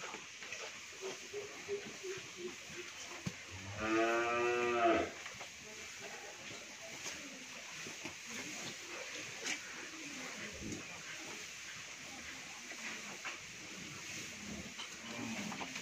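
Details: A pair of pure Sahiwal bull calves, each over seven maunds, on a dairy farm in Bhangura, Pabna, Bangladesh. One calf gives a single hoarse, harmonic-rich moo of about one second, set against steady background hiss and faint clatter.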